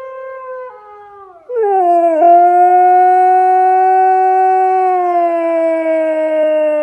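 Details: Siberian Husky screaming over not being let out, a sliding wail that settles into one long, steady, very loud held tone lasting several seconds with little change in pitch.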